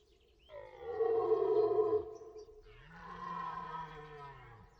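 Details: Two long, groaning deer calls, each lasting over a second. They are rich in harmonics and rise then fall slightly in pitch, separated by a brief pause. Faint background noise.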